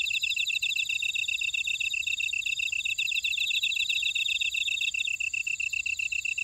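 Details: Insects in a Jeju Island buckwheat field at Ora-dong, Jeju City, South Korea, keep up a rapid, even pulsing chirp, many beats per second, beneath a sustained shrill ringing and a softer rippling trill.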